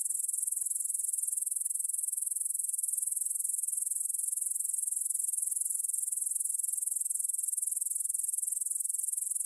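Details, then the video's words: Grasshopper stridulation recorded at 9pm on 6 September 2020 in the field near the Svensky monastery, Bryansk, Russia, using a Tascam DR-44WL: an unbroken high, hissing trill of quick pulses at a constant volume. "кузнечики на лугу – Grasshopper Sounds in the Field"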